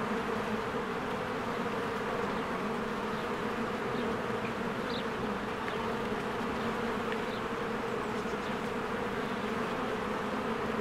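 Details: Spring beehive with a swarm of honeybees busily flying in and out. A continuous thick droning hum holds steady, with a few brief, thin bird chirps faintly above it.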